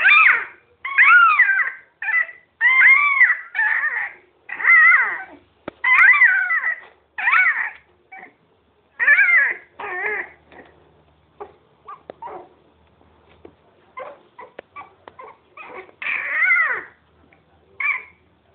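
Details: Miniature pinscher puppies playing around indoors: a rapid run of high yips and whines, each short and harmonic, repeated about every half second at first, then thinning into scattered softer squeaks and a few final yelps.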